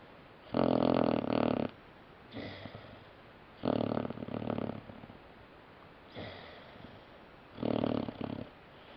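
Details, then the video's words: Sleeping puppy snoring indoors: loud, rasping snores about every three seconds, each inhale a rough buzzy burst of roughly a second, alternating with softer exhale snorts. "Snoring Puppy"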